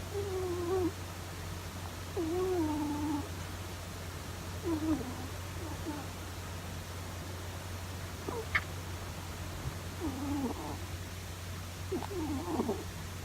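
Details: An old male rabbit snoring in its sleep: wavering, whistled nasal tones roughly every two to three seconds, some sliding downward, some short and broken, over a steady low electrical hum.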